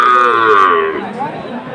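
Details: Sahiwal breed cattle at a bull calf sale for farmers in Jessore, 29 October: one loud, rich harmonic moo held about a second, then sliding down in pitch and fading, with faint voices behind.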